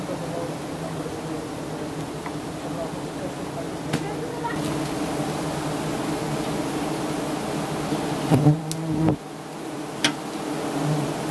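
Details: Honey hunters in Thailand raid a giant honey bee nest high up, and the bees answer with a thick, continuous buzzing drone. Sharp knocks and brief thuds from the harvest break through near the end.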